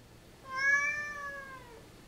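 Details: Talkative female Siamese cat indoors, meowing as if answering her owner's questions: one drawn-out, slightly arching harmonic meow lasting over a second, with a woman's questioning voice around it.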